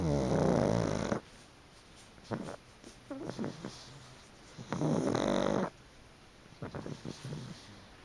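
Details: Asleep on a fluffy, freshly dried futon, the pug Chicchi lets out two long, grating snores about four seconds apart. Soft snuffles and small clicks fill the pauses.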